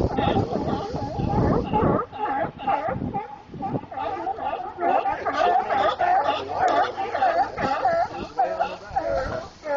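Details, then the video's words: Many sea lions calling near Monterey, California: dense, nasal, wavering barks stacked in bright harmonics, repeated roughly every second with no pause, one voice over another throughout. "Sea Lions near Monterey CA"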